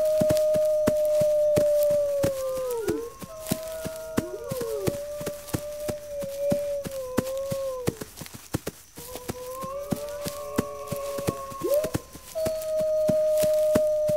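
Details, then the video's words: A pack of wolves howls in chorus: long level notes that bend and slide downward at their ends, voices overlapping and dropping out briefly before resuming, with persistent sharp clicking knocks throughout. "Wolves Howling"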